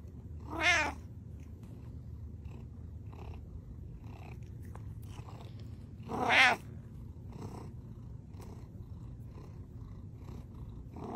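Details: Butters the cat gives two short, bright meows about six seconds apart, separated by soft faint clicks and a low background hum.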